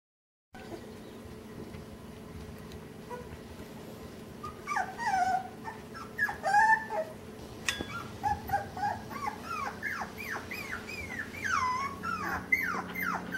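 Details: Puppies on a puppy cam on 19 October 2015, being introduced to overhead obstacles and things to climb on, give many short high whimpers and whines that slide downward, coming thick and fast after a quiet start, over a steady low hum.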